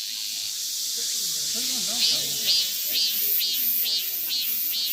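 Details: A male cicada near a loess path at Daegu Arboretum, Korea, sings a loud, steady hiss of high buzzing with regular pulses about twice a second.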